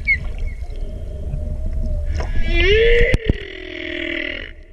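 A humpback whale sings a rising, moaning phrase with rich harmonics, then a long wavering tone.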